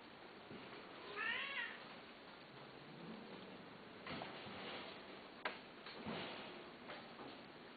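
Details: A domestic cat gives one clear, arched meow that rises and then falls, about half a second long, in a quiet room. Soft taps, rustling and a sharp click follow.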